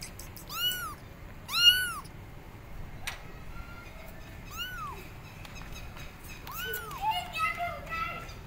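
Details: Abandoned kittens on a gate loudly calling their mother cat; clear, high, arched meows in pairs and singles, some with strong harmonics, a sharp click midway, and quieter mews near the end.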